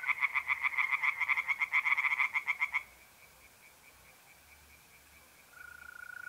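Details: Tree frogs singing in a pond on an April night in north-east Italy: a rapid run of harsh, evenly pulsed croaks about four per second for nearly three seconds, then quiet with a faint steady trill from mole crickets.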